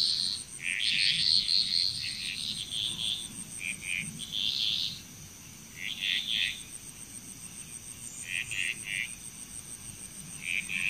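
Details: Frogs calling together in Bali, Indonesia, with bursts of rapid chattering croaks separated by short lulls, softer toward the end, and a constant high-pitched insect drone behind them.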